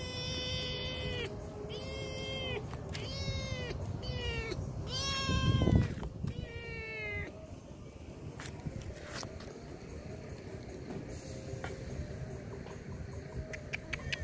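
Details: Hungry stray kittens being fed in a large car park give a run of clear, rising-then-falling meows, several in quick succession over the first seven seconds, some overlapping, above a steady low rumble of background noise.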